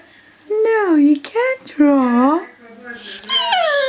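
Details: Rocky, a two-year-old boxer kept as a pet, voices his wish to draw in short, tonal, bending moans. Each one dips and then rises, in three or four separate bursts. A person's voice is also heard.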